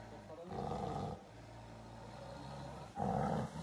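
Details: A wild Siberian tiger roaming woodland undergrowth near Sokolovka, Lazovsky district, Primorsky Krai, Russia, gives two short, rough roars about two seconds apart beneath a tree where mushroom pickers are sheltering.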